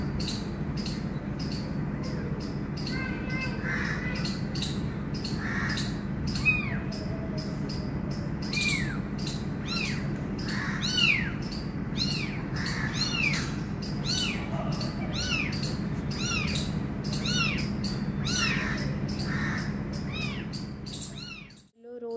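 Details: Abandoned kitten near its injured mother cat gives many high, arching mews, rising then falling, repeated every second or two, while a woman speaks softly in Hindi and English, coaxing it toward its mother, over steady insect chirping.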